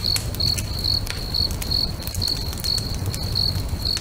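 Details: Lakeside crickets singing at sunset near a bonfire, their high-pitched chirps evenly spaced roughly every half second, over sharp crackling of burning wood and a low rumble.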